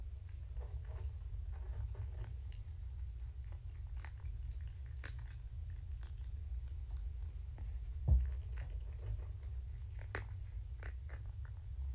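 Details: Quiet indoor room hum with scattered soft clicks and taps, plus one brief louder knock near the eighth second; no animal voice stands out.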